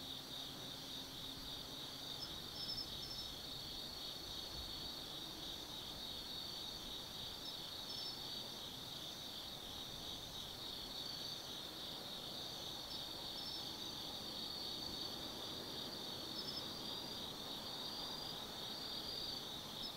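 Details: Insects singing on an autumn night in Tsukimi no Mori forest, Kaizu, Gifu, Japan: a constant high, pulsing trill chorus with occasional short twittering chirps and a faint low hum at the start.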